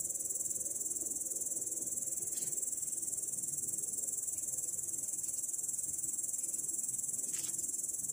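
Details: Grasshopper in grass, 18 August 2017, producing an unbroken shrill buzzing trill that pulses evenly about four times a second, with a couple of faint clicks in the background.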